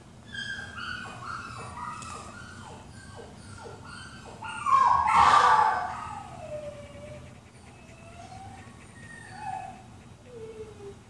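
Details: Puppy crying played from speakers while a curious pet dog listens indoors; a run of short, quavering whines repeats about four times a second, then a louder, harsher cry swells midway before softer falling whimpers trail off.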